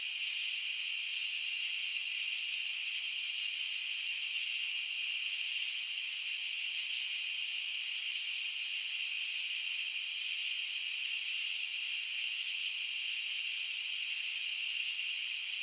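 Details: Steady cricket chorus, a continuous high-pitched ringing trill in layered bands holding even loudness throughout, with a few faint flickers at the top and no other sounds.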